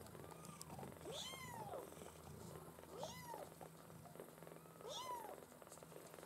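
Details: Maine Coon kittens of a bred litter, making soft arched mews about every two seconds, fairly quiet against a constant low hum and background rustle.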